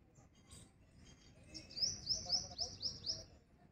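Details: Squirrel calling: a series of six sharp, high chirps, each sweeping downward, spaced about a quarter second apart, rising out of quiet background hiss.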